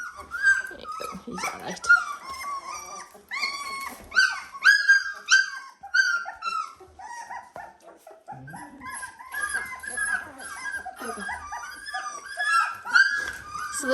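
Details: Seventeen-day-old Dalmatian puppies in an indoor pen, one learning to use its legs. Dense chorus of thin, squeaky whines and yelps rising and falling, near-continuous with brief lulls, and light music.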